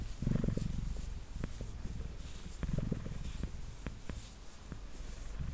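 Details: Domestic cat named Mango, a male, purring while sitting on a table and being brushed: low, rumbling purr with pulsed bursts near the start and around three seconds, mixed with scattered brush strokes and clicks in a quiet room.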